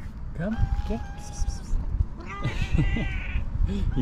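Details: Calico cat, loving but jealous, meowing loudly so no other cat comes close; a sustained whining meow, then a louder, strained harmonic cry, with a person calling the cats and rumbling background noise.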